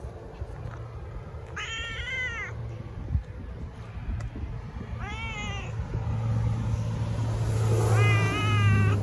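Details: Three drawn-out cat meows roughly three seconds apart, each slightly falling at the end, with a low engine-like rumble that grows louder toward the close.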